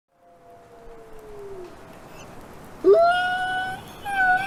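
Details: Faint, distant wolf howl sliding slowly downward, followed by a quiet pause. Louder, higher howls then begin, rising sharply and holding steady notes with a slight wavering dip.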